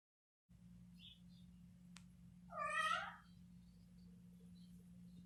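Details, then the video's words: Playful domestic cat uttering a single short meow that swells and fades within half a second, over a steady low electrical hum in a quiet indoor setting, with one faint click before it. "Som de gato - Gato brincando - Gato miando"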